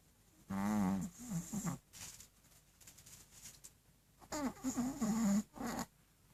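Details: Loud snoring from a sleeping dog, two long rattling, wavering breaths a few seconds apart, each broken into short throaty pulses, with softer breathy sounds in between.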